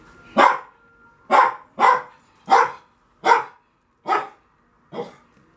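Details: Seven punchy, evenly spaced barks from a Lhasa Apso at play on a Friday afternoon, captured on a Canon PowerShot SX530 HS camera, coming roughly every two-thirds of a second in a quiet indoor setting.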